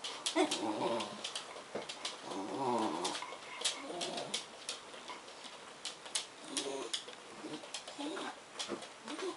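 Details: Indoor greeting of crated English bull terrier Kyle by Bedlington Terriers Suki, black, and Bailey, liver, with Suki making funny noises: repeated short wavering whimpers and moaning whines in quick bursts, mixed with scratchy clicks and tapping.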